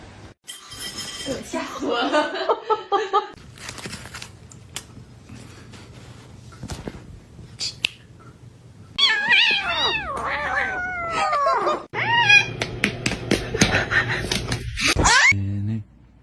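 Several kittens mew in thin, high-pitched cries that rise and fall, often overlapping in rapid strings. A strained, wailing stretch comes early, and human voices and laughter are heard faintly.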